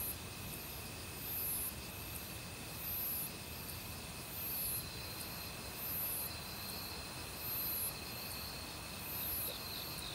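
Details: Forest insect chorus in autumn, crickets among various bugs, beside a flowing mountain stream: sharp high chirping bursts repeat roughly every one and a half seconds over a faint continuous ringing, all set against broad, steady water rush.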